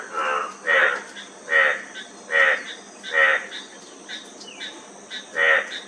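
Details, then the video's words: Loud, rough, pulsed frog croaks come at about one-second intervals, with fainter answering calls between them and an even high hiss in the background. "Frog Sound--Frog Sound Effect"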